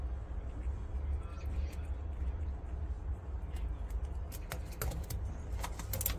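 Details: Grass-eating by a pet prairie dog, quiet at first, then a run of crisp crunching clicks in the last two seconds, set against constant low-pitched room hum.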